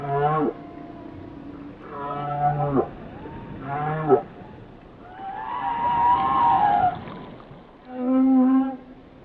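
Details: Whale song: a series of harmonic moaning and whooping units, some falling, some steady, others rising into a long upswept cry near the middle, ending on a lower steady tone, over a faint underwater hiss.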